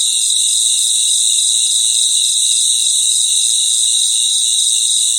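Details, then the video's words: A nighttime chorus of crickets forms a constant, piercing, high-pitched ringing of layered tones, smooth and unbroken, with no other clear sounds. "Sounds of Cricket | Relaxing Sounds of Crickets"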